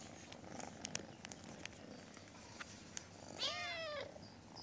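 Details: A little kitten indoors gives one clear, downward-bending meow after a few seconds of soft clicking and tapping sounds.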